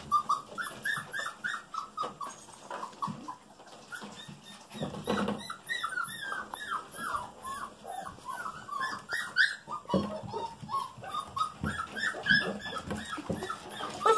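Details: Several Golden Retriever puppies, female littermates just over five weeks old, playing together indoors: dense runs of short, high, wavering whimpers and squeaks overlapping one another, with scuffling and a brief human voice.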